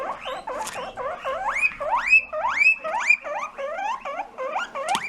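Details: A guinea pig gives a rapid run of short, rising squeaky chirps while sniffing an interesting scent. The owner has heard it only from males sniffing female scents, which prompts reactions from other males.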